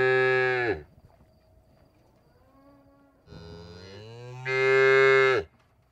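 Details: Cow giving a short bellow, a soft low murmur, then a swelling moo that ends in a loud, bright, brassy call.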